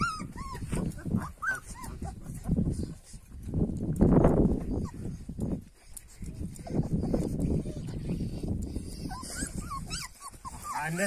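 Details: Purebred Kangal puppies, growing, make high, thin whimpering whines in short rising and falling bursts at the start and end, over steady low rumbling noise and a person talking in Turkish.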